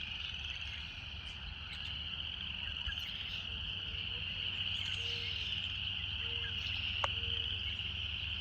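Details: Cicadas droning in natural surroundings, a steady high rasping buzz that swells slightly midway, accompanied by short low repeated notes, a sharp click near the end and a low background rumble.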